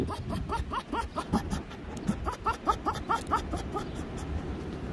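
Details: Finnegan the fox cackling in a quick rhythmic run of short chirpy notes, roughly three to four per second, fairly even in pitch, with a low rumbling hum underneath.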